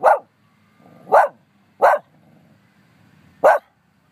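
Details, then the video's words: Dog in Humbolt Park barking at nobody, four abrupt, punchy barks roughly a second apart, the last after a longer pause, with soft low background noise between. "barks at nothing and everything at the same time"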